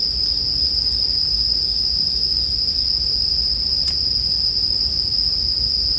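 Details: Continuous shrill ringing of bell crickets (suzumushi), even in pitch and loudness, with a low campfire murmur underneath and a single sharp crackle from the fire near the four-second mark.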